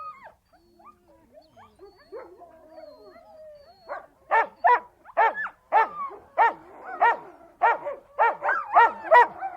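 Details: Siberian Husky voicing soft whines and wavering howl-like notes, then a run of loud, sharp barks repeated roughly every half second in the second half.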